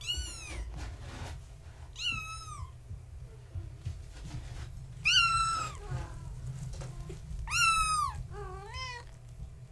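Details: Gaia's young kittens, born March 14, 2017, awake indoors at bedtime while one tries to climb a fence; loud high descending mews in bursts about every three seconds, ending with a pair of quick cries, over a low hum.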